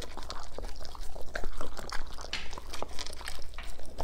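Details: German Shepherds eating green foods such as cucumber; loud, wet crunching and chomping bites repeated rapidly throughout, close to the microphone indoors.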